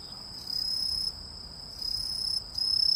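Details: Several short, shrill, high insect trills, each lasting about half a second, from a cricket or grasshopper, with quieter gaps between them.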